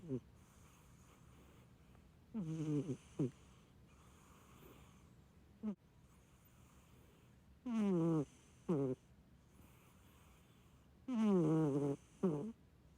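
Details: Sleeping Munchkin cat snoring like an old man: tonal, falling snores with rich overtones come in pairs every three to four seconds, each breath followed by a shorter catch, over a soft steady background hiss.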